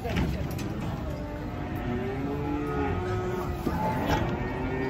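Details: Amid many cattle unloaded from a truck, a drawn-out, slightly wavering low moo rises in the middle, against steady crowd talk, background music and a running vehicle.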